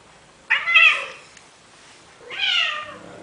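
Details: Indoor male cat in Athens, Greece, pleading with a female Siamese to mate, giving two long, bright, high-pitched meows with a wavering tone, separated by about a second of quiet.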